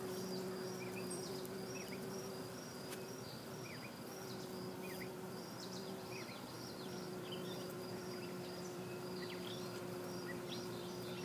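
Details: Colony of western honey bees in a bee yard taking sugar water from the frames: steady humming buzz with a clear low flight tone that fades and returns, over dense background droning, plus regular high cricket chirps about four per second.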